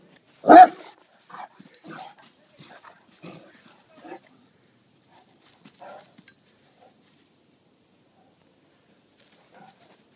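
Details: English Mastiff playing tug of war with an Irish Terrier until it wins and loses interest; one loud, harsh bark-like burst opens, followed by several shorter, softer growly bursts spaced a second or so apart, then near silence.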